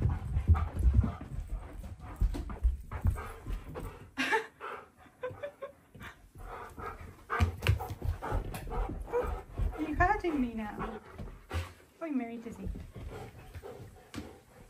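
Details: Pet Siberian husky Key (K'eyush) shouting at home: heavy panting and snuffling, then several bending, moaning howl-like yowls that rise and fall, with a woman talking over the dog between outbursts.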